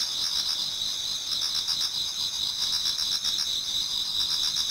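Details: Many autumn insects singing in a Japanese garden towards dawn: a steady, dense shrill chorus with two bright high bands, pulsing in soft, uneven beats, with no other sounds.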